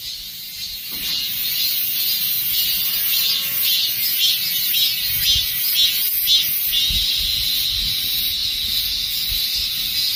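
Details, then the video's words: Dozens of cicadas singing together at the end of summer; loud unbroken high-pitched droning shrill that swells in slight pulses, starting after a brief quieter moment with a faint voice. "Summer passes by with the sound of cicadas."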